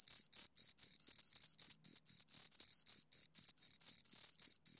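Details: Two crickets right near the microphone give loud, thin, ringing chirps in quick succession, about four each second, some chirps blending into longer scraping runs; background completely quiet.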